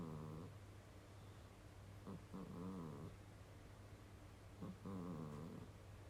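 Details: Sleeping domestic cat named Kurobe snores in a human-like way, giving rough, buzzy snores with stacked harmonics, one every two to three seconds, above a constant low-pitched background hum.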